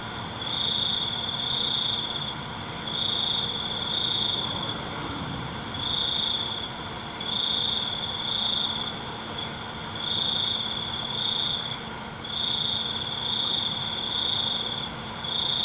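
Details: A cricket chorus at night repeats high buzzing trills, each bout about a second long with short breaks, over continuous insect background. A few sharp clicks occur near the end.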